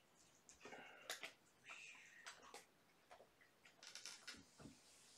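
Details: Kittens from mama Gamora's litter of five, born April 14th, at bedtime during lap and play time: a few short, thin, high-pitched mews, each under half a second, among soft scratching and clicking scampering noises.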